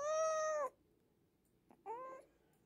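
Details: A rescued kitten, hungry and taken in near home during a morning walk, gives one long steady meow, then a shorter, rougher second cry after a pause.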